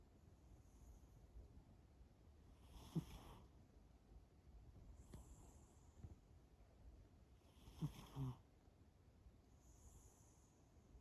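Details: Sleeping cat Shimao breathing in soft, noisy snores spaced about four to five seconds apart, one breath ending in a faint snort, all very quiet against a still background.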